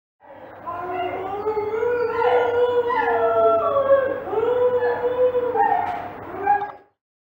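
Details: Several dingoes howl together for about six seconds in long, wavering, mid-pitched tones that overlap and slide up and down.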